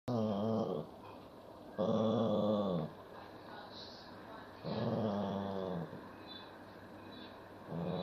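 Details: Two 18-year-old Miniature Poodle/Maltese sister dogs fighting over salami, with low rumbling growls about a second long coming roughly every three seconds, separated by quiet gaps.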